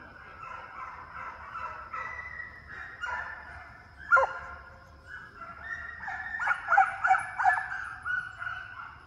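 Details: Deer hound pups run after coyotes in a fox training pen in summer; mixed chorus of drawn-out bays and choppy barks, louder clustered yelps toward the end.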